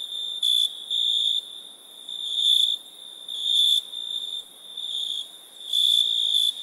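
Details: Crickets at night produce a continuous high ringing trill that swells louder in irregular bursts every second or two, over a soft background hiss.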